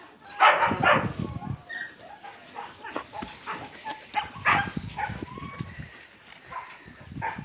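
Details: Yakutian Laika puppies with their mother Rumba: two clusters of sharp, rough barks, one near the start and one midway, with quieter yips and scuffling between and thin high bird whistles behind.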